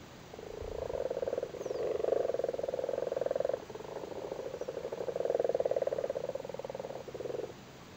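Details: Irish frogs spawning in a flooded cattle grid in Cork, Ireland, males sitting on spawn: low purring croaks in long pulsed bursts, nearly continuous across the clip with a brief gap midway.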